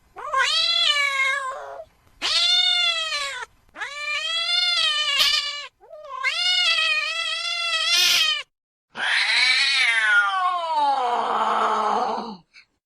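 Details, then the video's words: A house cat repeating insistent meows, five bright, sustained cries with short gaps, the last one rougher and falling into a lower, strained wail. "Tiếng mèo kêu. The sound of a cat meowing"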